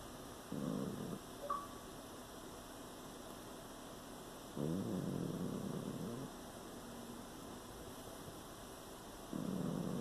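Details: Sleeping pet cat snoring, with rough, noisy breaths about a second or two long that come in bursts separated by quieter stretches, plus a faint steady electrical hum.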